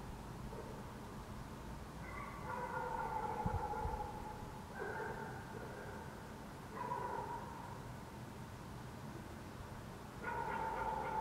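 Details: Distant dogs bark across the city of Helsinki, Finland, beneath a waning gibbous Moon in June 2014. Four prolonged, tonal barks come at irregular intervals of two to three seconds over constant low city hum.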